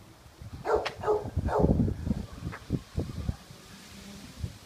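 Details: A Golden Retriever at a dog park-zoo, filmed in 2015, gives a few low, gruff barks and woofs, irregularly spaced.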